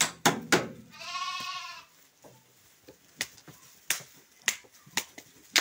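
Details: A single wavering, harmonic bleat lasting almost a second comes from male sheep for sale in Guelma, in a flock of 23. Sharp clicks and taps are heard before and after.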